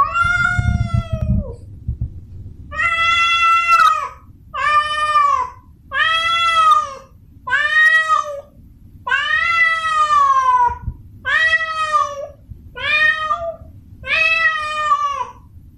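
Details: Tomcat in heat calling out to a female, a long series of eight or nine loud, wavering, harmonic yowls, each one to one and a half seconds long with short breaks, over a steady low background hum.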